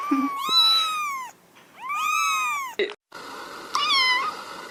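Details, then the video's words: Kittens and cats meowing: several high, arched, strongly harmonic meows overlapping in the first three seconds, a short break, then a thinner, wavering, higher meow near the end. "Мяуканье котят,кошек, кота мяуканье"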